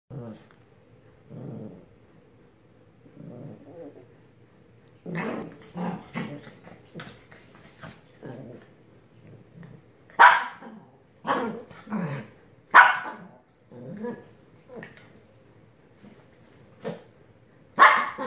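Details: Sophie, a Yorkie Pomeranian pet dog, grumbles for attention with low throaty growls in short bursts, then sharper, louder yapping growls crowding the second half, separated by brief quiet gaps.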